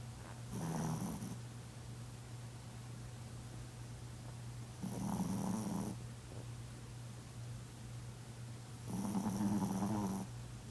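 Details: Maitai, a female pet Chihuahua, snoring while asleep: three rough, buzzy snores roughly four seconds apart, each about a second long, over a steady low electrical hum.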